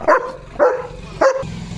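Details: Worked-up male German Shepherd barking at a passing dog from his home gate in the morning: three short, forceful barks about 0.6 seconds apart, followed by low rumbling background noise.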